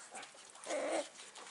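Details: Six-week-old Staffordshire Bull Terrier puppy, one of a litter, giving a brief whining whimper that rises and holds for about a third of a second, faint against a quiet room background.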